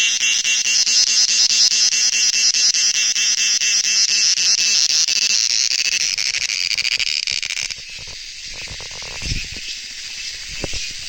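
Crickets trill steadily in a high, dense chorus of rapid pulsing chirps.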